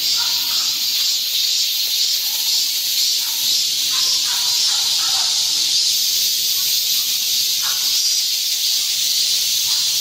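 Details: Continuous high, hissing cicada song at midsummer in Ogeum Children's Park or Mugunghwa Park, Guro-gu, Seoul, with a few soft, brief chirps dotted beneath the constant buzz.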